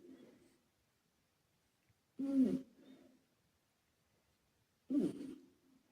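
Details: Asleep and snoring, Karumo, a male British Shorthair once rescued, is heard with an echo effect. A fading tail opens the clip, then two deep, rasping snorts land about two and a half seconds apart and decay into echo.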